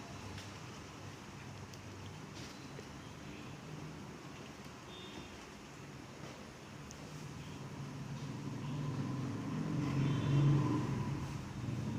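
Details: Continuous low road rumble from passing vehicles that swells louder toward the end, with faint scattered knocks.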